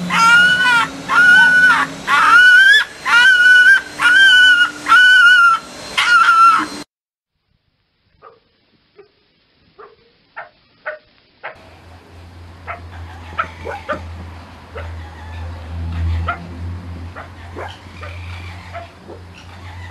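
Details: Fox at night giving a run of about eight sharp, hoarse yelping barks, evenly spaced under a second apart. Silence follows, then scattered faint clicks and knocks over a low steady hum.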